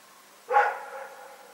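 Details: One loud bark from Rex, a dog, in the night, February 27, 2018, a hoarse burst followed by a lingering reverberant tail in otherwise still surroundings.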